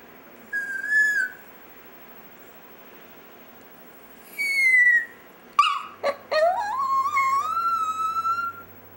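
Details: A chihuahua called Dexter "singing": two thin falling whistles, then a sharp yelp leading into a long wavering wail that climbs and holds for about two seconds; quiet room background.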